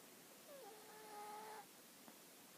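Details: Hana the dog snoring: a single thin, whistled nasal tone held about one second, rising slightly at the start, over a quiet room hiss, with a faint click afterwards.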